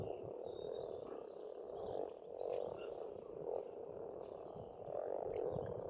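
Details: Massed croaking of frogs from a spring pond on an Estonian farmstead, surging in repeated swells about once a second or two, with brief bird notes flicking above.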